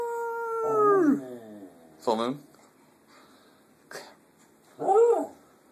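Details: Female Shetland Sheepdog howling at home: a sustained steady tone that slides sharply downward, followed by a short wavering yelp and a few brief arched cries, with quiet gaps between.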